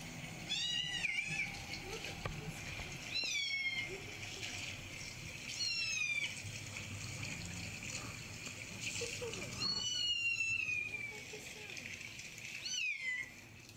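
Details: Recorded kitten meowing comes from a laptop as Chai, a Siamese-tabby kitten, hunts for the hidden kitten. Five thin, high meows, each bending down at the end, spaced two to three seconds apart over faint background noise.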